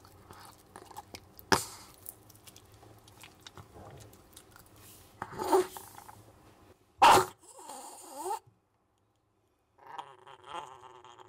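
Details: Maltese named Jamong, a male born December 2015 in Gwangju, eating duck neck bones: soft irregular crunches and crackles with sharp cracking bursts, a loud crunch near seven seconds, and brief wavering tonal sounds late on.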